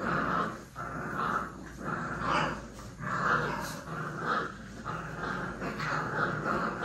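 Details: Several puppies playing and fighting, giving continuous gravelly growls that swell and fade roughly once a second, with occasional sharper yelps over the low rumble.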